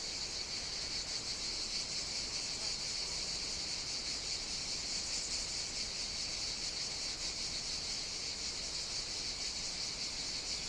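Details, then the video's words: Cicadas singing on a hot summer day on the Greek island of Evia, in a Mediterranean setting: a dense, continuous buzzing chorus, steady and unbroken throughout, with no other clear sounds. "Cicadas Sing On the Greek Island of Evia"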